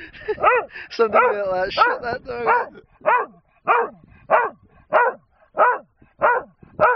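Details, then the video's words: A human voice talks over the first seconds while Bob, a dog wanting a wooden gun found on the hillside, barks at a man. Clear single barks then repeat roughly every 0.65 seconds. "Bob barking at G man on the hill."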